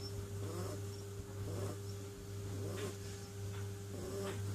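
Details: A sleeping kitten snoring, soft breathy snores repeating about once a second over a steady low hum.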